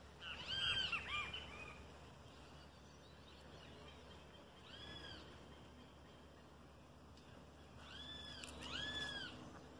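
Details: Adult marmoset trying to catch a toad, giving short arched whistled calls with bright overtones in three bursts: a cluster near the start, a single call midway, and a paired burst at the end, over a steady low background hum.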